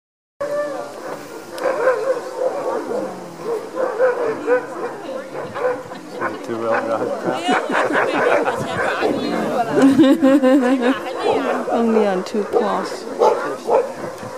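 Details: Alaskan huskies at a sled dog demo in Denali National Park, Alaska, eager to be harnessed to the sled: overlapping excited barks and yips in a busy chorus, with a person talking throughout.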